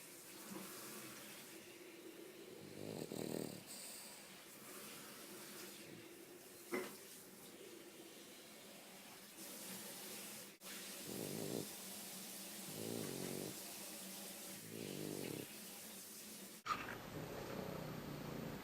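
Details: Deeply sleeping dog Umekichi, tired out, gives a series of short throaty snores spaced a couple of seconds apart over steady background hiss, with a few clicks and thumps in between.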